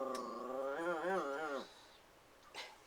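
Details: Puppy Christian, protective and keen on the cats, gives a wavering, whining growl that rises and falls for about a second and a half before stopping, then faint room noise.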